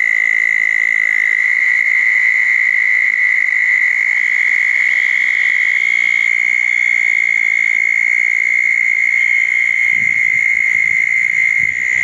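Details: After a thunderstorm on 10 June 2014, southern toads gathered at two small ponds keep up a long, level, ringing trill without pause, with a soft low rumble near the end.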